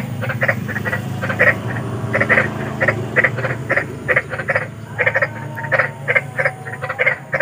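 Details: Large frogs croaking in nature at night, a dense chorus of short rasping notes repeated several times a second, with a constant low droning hum underneath.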